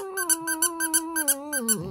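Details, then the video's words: A Shih Tzu indoors howls sadly in response to a squeaky doll: one long, steady, mid-pitched wail that sags and breaks near the end, with the toy's sharp squeaks pulsing about five times a second throughout. "시츄써니는 인형소리에 슬프게 노래불러요 Shih Tzu Sunny sings sadly at the doll's sound"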